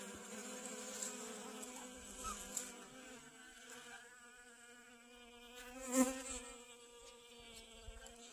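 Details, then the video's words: Garden honey bees gathering sunflower pollen, 25 August 2021: a close, continuous droning buzz with rich overtones, slightly wavering as a bee hovers, plus a sharp knock near the sixth second and a thin constant high whine. "Honey Bees Collecting Pollen From Sunflowers"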